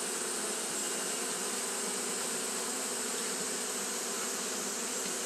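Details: Steady fanning drone from Japanese honey bees working through a hot day, an even layered hum, low bands near 250 and 500 topped by sustained high hiss, no pauses.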